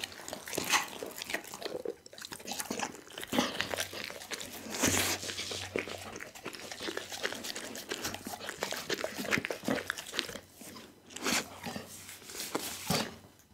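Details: Duggie, a pit bull, devouring a whole raw chicken: irregular loud bone crunches and bites separated by short pauses, wet smacking between them, in a small indoor room.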